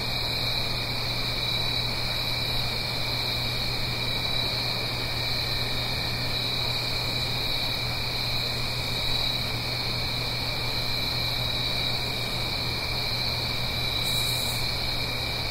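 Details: On an autumn night in the Blue Ridge Mountains, above a gentle stream, crickets hold a continuous high pulsing trill layered over a second lower tone. Broadband water hiss and a faint low hum run beneath.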